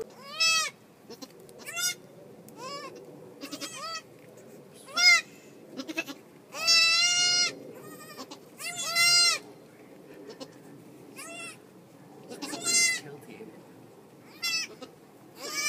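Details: Bleating goat at a farm birth in March, with the mother giving birth; a long run of short, high, quavering bleats, some faint and some loud and drawn out, over soft rustling.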